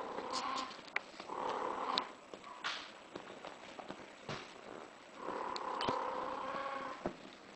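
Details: A British Shorthair in heat gives long, steady, tonal yowls, one near the start and a longer drawn-out one near the end, with clicks and faint handling noise in between.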